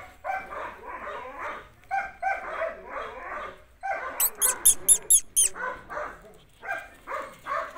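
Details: Several Belgian Malinois puppies give clusters of shrill yaps and barks separated by short pauses; midway a quick run of sharp high-pitched clicks or squeaks cuts through the yapping.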